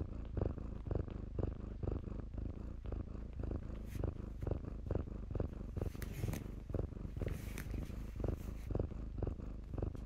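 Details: Purring from kittens at play in blankets, a deep, throbbing rumble that swells and fades roughly twice a second, with faint rustling of cloth in the background.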